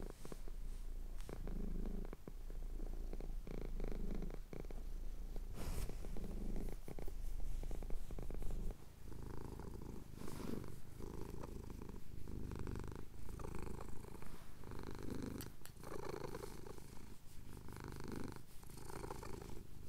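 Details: Purring of a male house cat as his chin is scratched during a Cotswold sunrise, captured on a Tascam DR-07X; deep, even rumbling pulses in rhythm with his breaths, with scattered small handling noises.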